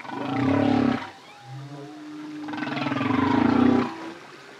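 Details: Humpback whale song from a solo male: two deep, rough, roaring moans about three seconds apart, separated by a quieter low tonal drone.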